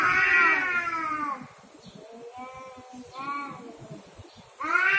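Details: Cats quarrelling over territory: one loud, harsh yowl fading out, then softer, shorter moaning wails, and a loud yowl starting again at the end.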